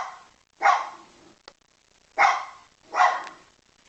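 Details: Begging dog giving three short, loud barks spaced about a second apart, with a faint click between the first two.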